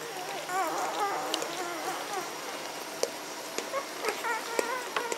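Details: Magyar Vizsla puppies of a B litter, recorded 14 May 2015, giving a run of thin, wavering whines and whimpers that rise and fall, clustered in the first two seconds, followed by scattered soft clicks and rustles.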